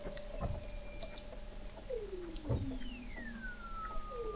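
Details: Weddell seal voices under McMurdo Sound sea ice in Antarctica, November 2017, from an observatory 21 m down: long smooth descending whistles and a low sliding tone, with scattered knocks and clicks over a noisy low background.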